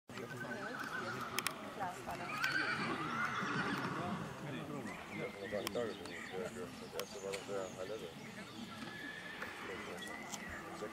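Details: Filly foal born 18 April 2021, by Perigueux out of a Ginsberg–Cordial line mare, at the 2021 foal show in Sandbostel; a high wavering whinny early on, then people talking and hoof sounds.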